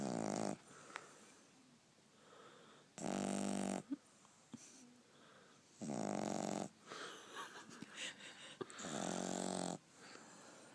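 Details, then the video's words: A French Bulldog puppy snoring: loud, rasping bursts roughly every three seconds, each lasting under a second, with quieter wheezy breathing and small snuffles between them. "the snoring French Bulldog puppy"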